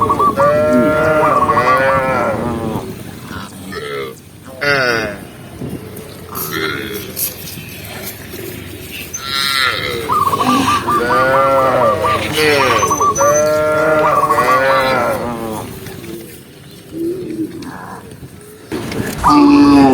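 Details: Tame cows driven through mountain fields in the afternoon moo repeatedly, with deep, arching bellows from several animals, some overlapping, interspersed with trains of short, high chirping notes and brief quiet gaps.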